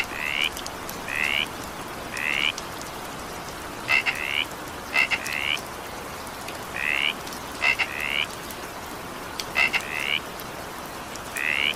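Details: Frogs calling during evening rain: short, raspy, slightly rising croaks, each about a third of a second, some preceded by sharp double clicks, repeating irregularly over a steady hiss of falling rain.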